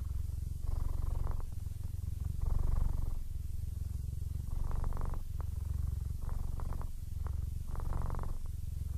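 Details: A 15-year-old, almost blind male Siamese cat purrs steadily in contentment, a deep rumbling vibration pulsing in and out with each breath.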